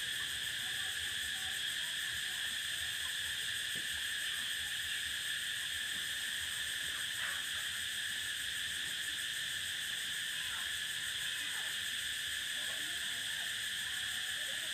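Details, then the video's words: Prairie cicadas give a continuous, even, high-pitched buzz that never pauses or changes pitch, with soft scattered low sounds beneath the chorus. "Explore the prairie sound of cicada"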